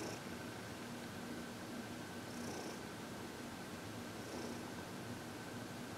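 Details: Heidi, a senior cat of 14, purring happily during a massage and reiki session on February 22, 2021; a gentle continuous low rumble with a few faint breaths over a quiet indoor drone.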